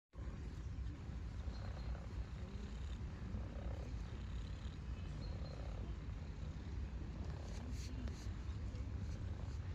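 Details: Formerly shy female stray cat purring with contentment while being petted by a human; a continuous low rumbling purr fills the recording, with faint rustling and a few brief higher clicks near the end.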